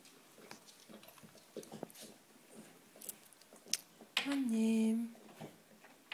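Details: Chocolate Labrador Retriever named Queen in labour indoors in the early morning of 18 February 2013, before giving birth to six puppies; one drawn-out, slightly falling moaning whine lasting under a second, after soft rustles and clicks in a quiet room.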